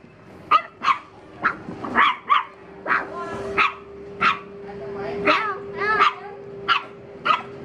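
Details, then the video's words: Dog reacting to a stranger, giving about a dozen sharp, loud barks at uneven intervals over a steady mechanical hum, with a few whining, drawn-out yelps in between. "How Dog Reacts When Seeing Stranger 2 - Running, Barking?"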